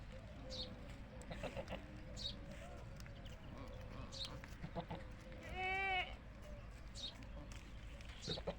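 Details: Desi goat on a goat farm giving one strong quavering bleat near the middle, rich in harmonics, over soft distant bleats, chirping birds and quiet farmyard background.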